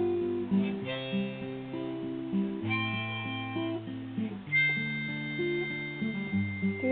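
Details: Acoustic guitar and harmonica play a melody from Legend of Zelda, with no animal voice standing out.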